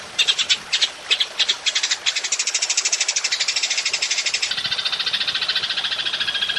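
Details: Golden grasshopper calling for a songbird-training recording: spaced buzzy bursts at first, then a quickening string of rapid, regular high pulses that run on without pause in long 'nembak' style.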